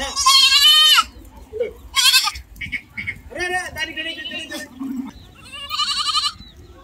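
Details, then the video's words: Goats and kids on a goat farm, loud wavering bleats in quick succession, some rising then falling, others trembling and nasal, several callers overlapping with brief pauses. "goat sound"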